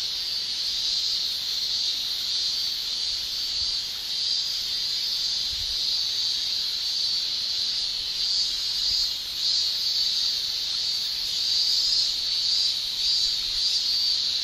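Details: Japanese cicadas shrilling in summer, males producing their tymbal song: a dense, continuous high-pitched buzz with gentle swells in loudness roughly every half second, no other clear sounds.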